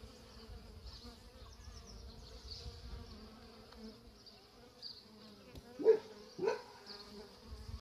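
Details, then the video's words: Working honey bee hive giving a steady, deep buzzing hum with a faint high whirr, interrupted near the end by two dull thumps. "Arnia.. Api al lavoro"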